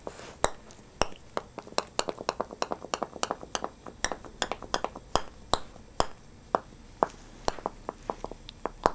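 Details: Rapid sharp clicks and clinks, like small hard objects tapping, repeat irregularly several times a second in a small indoor room, with no animal voice.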